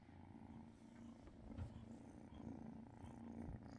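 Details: Cat getting belly rubs alongside purring kittens on December 30th: continuous deep, throbbing purr with a rapid pulsing rhythm and slight swells in loudness, with faint rustling in the background.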